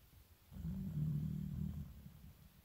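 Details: Elderly 15-year-old Shiba Inu sleeping indoors in winter gives one long, deep, rumbling snore lasting about a second and a half, with quiet stillness before and after.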